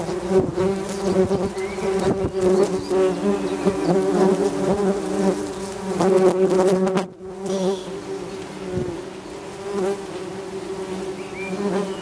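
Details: Tree bumblebees (Bombus hypnorum) buzzing at their nest: dense layered humming from several bees, rising and falling in loudness, with scattered clicks and brief knocks, a short near-silent gap midway, and faint bird chirps.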